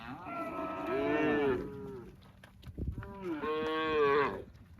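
A cow gives two long, drawn-out moos with a short pause between them.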